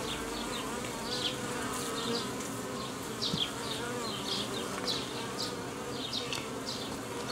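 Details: Honey bees at a hobby beekeeper's hive in Romania on 19 May 2018, during an attempt to rear queens with a Nicot box: a steady, layered hum with short higher chirps scattered over it.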